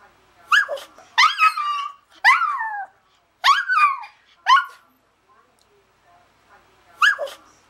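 A Toy Poodle howls in short, high, wavering bursts that slide downward in pitch.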